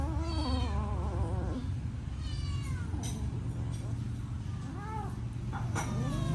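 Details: Cats eager for a meal of rice, meowing repeatedly: a wavering call at first, then several short rising-falling meows scattered across the recording, against heavy low rumbling background noise.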